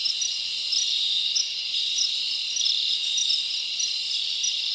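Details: Crickets chirp at night in a forest during summer, a thick high-pitched buzzing chorus punctuated by regular bright pulses about twice a second.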